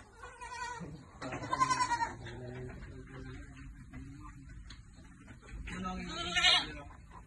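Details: Goats bleating at Amang Victorio Goat farm during vitamin feeding. A long wavering bleat rises, then a quieter stretch of low murmur follows, and a second sharp, higher bleat comes near the end.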